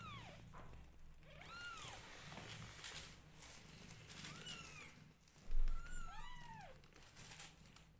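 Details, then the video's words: Newborn kittens being groomed by their mother give thin, arching mews scattered among rustling and licking noises, with a brief low thump midway. "Newborn Adorably Cute Kittens Meowing Loudly When Their Mother Groom Them"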